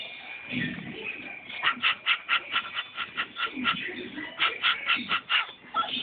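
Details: Rex, a pet dog, barking at a paint roller: after a few muffled sounds, a steady run of short, sharp barks comes roughly twice a second for several seconds, with a human voice nearby.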